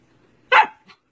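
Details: Siberian Husky being taught basic training commands by its owner; one loud, sharp bark, then a much fainter short yip a moment later, set against a quiet indoor background.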